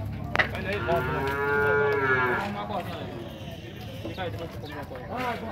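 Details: At the Tabira-PE cattle fair, Nelore cattle being sorted in the corral give a sustained, resonant moo lasting over a second, then a quieter, shorter low call near the end, while handlers talk nearby.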